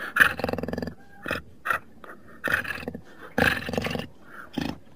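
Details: Jaguar snarling in rough, pulsed bursts: a long grating burst at the start, then shorter harsh growls spaced about a second apart, with quiet gaps between them.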